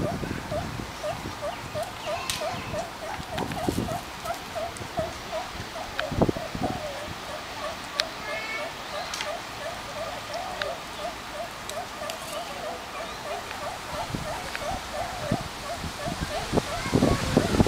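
Meerkats give a steady stream of short, repeated chirping calls with a few faint human voices.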